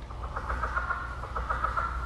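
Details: A male southern leopard frog, a species native to Florida, gives quick, throaty clucks that run together into a chuckle rather than a ribbit, over a low hum; he is claiming territory, drawing females and signalling his strength.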